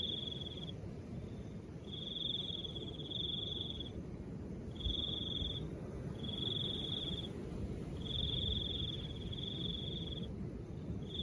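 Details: Crickets trilling in soft wind, high pulsed bursts of about one to two seconds repeating with short silences, while the low wind rises and falls a little.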